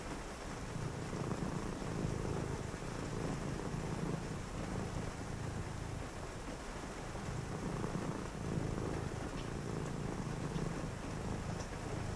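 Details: Domestic cat purring on a rainy night, a low continuous rumble that swells and eases with each breath, over a steady hiss of rain.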